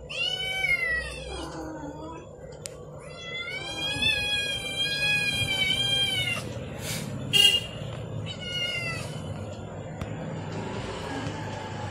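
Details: Several domestic kittens howling while another cat eats an egg; loud drawn-out wavering meows, rising then falling, overlapping in bursts through the first seven seconds, then shorter cries, over a steady low background hum.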